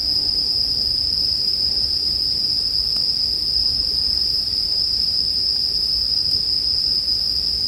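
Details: Bell crickets singing for sleep background, blended with a campfire: an unbroken, steady high ringing tone holds level throughout, over a soft low rumble with faint crackles.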